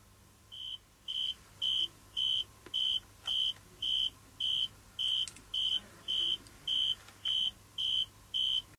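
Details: A male cricket, using a leaf as a megaphone to make his sound louder, sings steady, pure high-pitched chirps, each about a third of a second, nearly twice a second.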